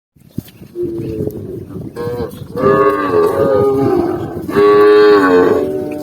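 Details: Tame cows being herded as they run happily together down a green countryside hill, lowing in overlapping drawn-out moos, some wavering and rising, several animals calling at once, growing louder after the second second.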